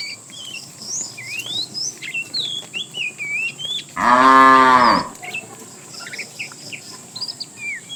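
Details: A herd of tame cows walking along a road looking for food; one cow gives a single loud, drawn-out, harmonic moo lasting about a second midway, while small birds chirp and twitter steadily throughout.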